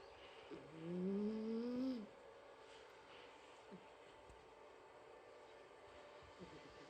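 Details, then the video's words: Sleeping house cat Mike lets out a single drawn-out, reedy snoring breath that slides upward over about a second, followed by a near-silent room. "家の猫ちゃん ミケさんのいびき"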